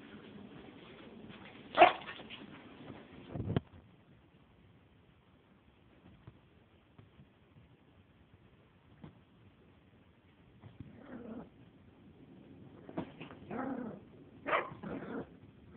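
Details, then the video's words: Four-month-old Maltese puppy, female, playing indoors with a toy: a single sharp bark near the start, a thump, a long quiet stretch, then a cluster of short, high barks toward the end. "Ginny (4 month old Maltese) baby bark"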